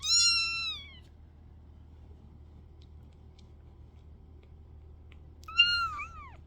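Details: Kitten, one of a litter, called baby girl and said to be angry at her sister, gives two loud, high, harmonic meows, each sliding downward and lasting under a second, about five seconds apart, with a low hum in between.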